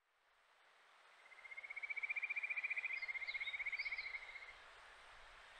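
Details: Wild Kajika frog, the Japanese stream frog, in Japan in July: a rapid pulsed trill near a steady pitch that rises slightly and swells then fades over about three seconds, with faint higher chirps and quiet background hiss.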